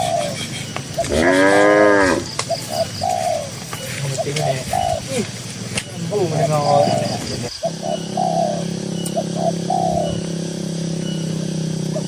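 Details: Cows in a green pasture, dozens walking slowly: one loud, drawn-out moo with a wavering tone, then a fainter moo about five seconds later. Repeated cooing from doves fills the background, and a steady low hum runs through the second half.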